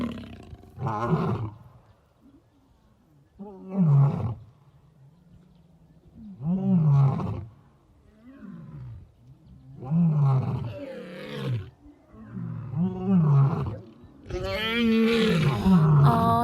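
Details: Lion roaring: a series of deep, moaning grunts that swell and fall away, each bout separated by pauses of roughly two to three seconds, ending in a louder, rougher burst.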